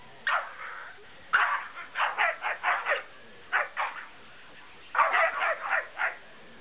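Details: During play between two pet dogs, white Malamute Denali and brown Puggle Bentley, quick runs of sharp yipping barks and growls arrive in clusters, separated by short silences.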